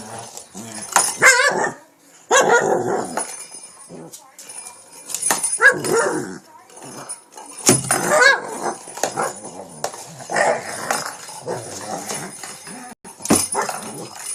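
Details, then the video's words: Shih Tzu dog viciously attacking a cat toy late at night in Pennsylvania; sharp yapping barks and snarls come in uneven bursts separated by quieter stretches, with a person's voice heard at times. "shih Tzu viscously attacks cat toy"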